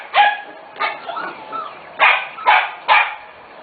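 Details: Corgi puppies nearly six weeks old from a special litter: five short, bright yips spaced irregularly about half a second to a second apart, with faint softer whimpers between them.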